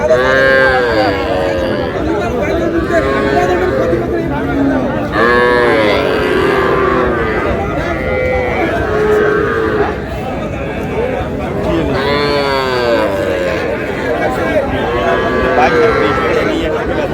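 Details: Calves, small bulls and heifers, at a cattle market in Cumilla, Bangladesh, 12 May: repeated long lowing moos, some rising then falling, recurring every few seconds over loud shouting, haggling voices and busy market noise.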